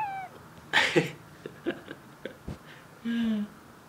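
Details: Pet cat staring at something indoors: a short falling mew at the start, a few clicks and taps, then a brief flat, nasal chirping call near the end.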